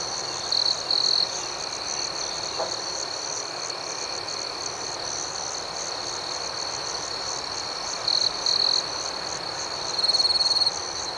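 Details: Rhythmic nighttime cricket chorus, a constant high trill with a fine pulsing texture, broken by louder nearby bursts of shrill chirping near the start, again past the middle, and at the end.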